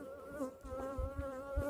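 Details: Honey bees on orientation flights in Texas, kept by a beekeeper: a steady, droning hum with a slight wavering pitch and several stacked overtones, plus low rumbling handling or wind noise underneath.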